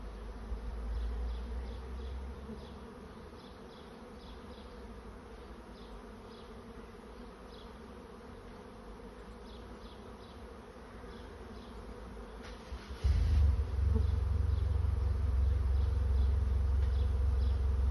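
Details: Honey bee swarm finding a new home: a dense, steady hum of many wingbeats, with faint repeated ticks above it. A heavy low rumble, like wind or handling, swells sharply near the end.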